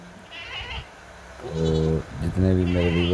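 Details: Sheep making two steady, nasal, drawn-out bleats about half a second each, separated by a brief pause, over a background hiss.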